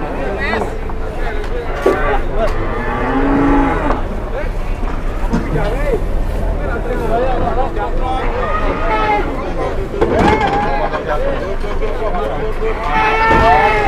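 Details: Hefty bulldozer-type cattle in Indonesia being loaded onto a truck while onlookers watch. Repeated bellowing moos, some wavering and rising, recur throughout amid shouting voices and clattering noise.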